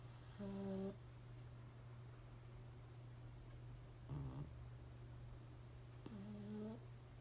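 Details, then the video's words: Pugs sleeping unaware of being filmed, snoring indoors: three separate snore bursts, each under a second, with a low harmonic buzz over a steady low electrical hum. "撮影に気が付かずイビキをかいて寝てるパグｗ Snoring Pugs are sleeping"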